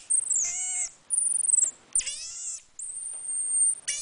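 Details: Chewy, a pet marmoset making odd noises, gives long, very high, thin whistles broken by a few lower, harmonic squeals.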